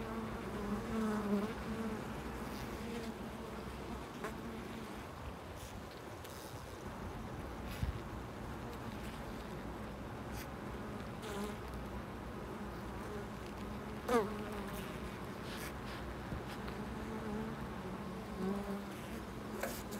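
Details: Bees at a loading dock, a steady low droning hum with faint brief clicks and knocks scattered through a constant background rumble.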